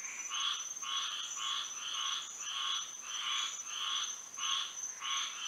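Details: Night chorus of frogs in Florida by moonlight, harsh buzzy croaks repeated roughly every half second to second in a steady rolling rhythm, with a shrill continuous insect whine running beneath.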